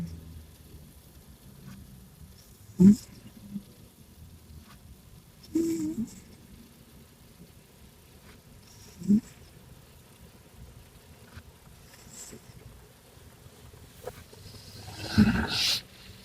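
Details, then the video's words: Tiger, a male Maine Coon, sleeping with humanlike snores: short, low, throaty snorts at irregular intervals of about three seconds, the last one longer and breathier, over a quiet indoor background. "Cat Snores Like A Human"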